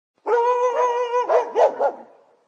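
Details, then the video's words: Angry dog behind a fence: a sustained, tonal whining growl for about a second, then three sharp barks in quick succession that fade into a brief tail. "Dog Barking"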